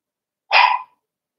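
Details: A single loud, bright bark from a Cavalier King Charles Spaniel puppy playing indoors in a home puppy pen, a short, high yap lasting under half a second with silence around it.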